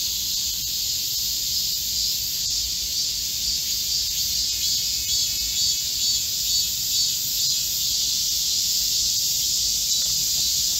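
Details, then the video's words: Chorus of Korean cicadas in a green forest at midsummer during a heatwave, 25 July 2024: a dense, steady, hissing buzz high in pitch that never lets up, with several overlapping layers. "Korean cicadas, a chorus in a midsummer green forest | 한국 매미들의 한여름 초록 숲속의 합창"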